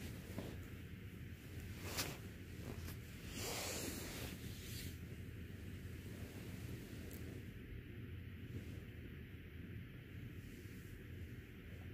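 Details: Steady wind rumble and surf-like noise throughout, with brief gusts and no animal voice.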